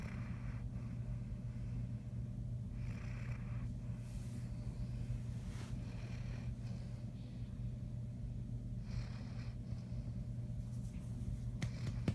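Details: Great Dane. A Great Dane snores in deep, low rumbles, each slow breath swelling softly every few seconds. A steady background hum runs beneath the breathing throughout.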